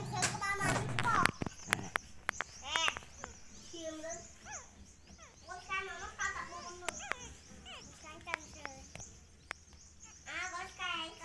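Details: Several puppies beside their mother dog whine and whimper in bursts of short, wavering, high-pitched cries, some bending down at the end, amid sharp knocks, handling noise and a faint steady hiss.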